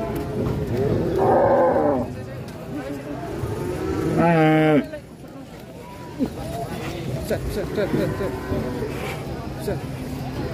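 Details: Agitated cattle at the Mandalika circuit in Indonesia; a short harmonic bellow, then a louder, strongly harmonic moo lasting about a second, amid constant talking, engine hum and crowd noise.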